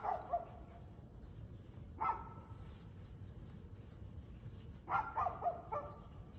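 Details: Dog barking at 6:02 pm, 6 February 2024: one bark, another about two seconds later, then a rapid string of three or four barks near the end over low background noise.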